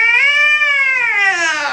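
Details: Angry cat during a visit to the vet, freaking out on the examination table, letting out one long drawn yowl that rises slightly then sags downward, harmonic and loud, in a small indoor room.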